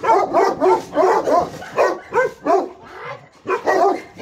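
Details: Alabai and Tibetan Mastiff guard dogs barking in Pogoanele, Buzău county, Romania: a rapid run of deep, rough barks, several per second, with brief pauses, one short gap around the third second.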